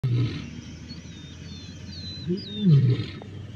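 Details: Male lions of the Black Rock coalition fighting Salas males, Masai Mara, 29 December 2023: a short deep growl at the start, then a louder rasping, rising-and-falling growl near the end. Faint high bird whistles sound in the background.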